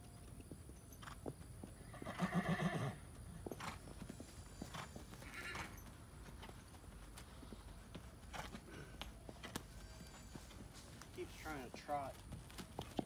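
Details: Tennessee Walking Horse, a 2007 cremello mare called Sable (Moonwalkers Storm Princess), ridden at dusk on her first ride in a year after weaning a foal. A short, shaky whinny rises early, with clopping hooves throughout and a brief squeaky chirp near the end.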